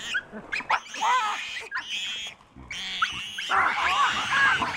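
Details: Wild, habituated troop of chacma baboons in the Soutpansberg mountains, South Africa, giving sharp alarm screams at a giant rock python wrapped around a juvenile. Several animals overlap in harsh, harmonic screams that rise and fall in repeated bursts.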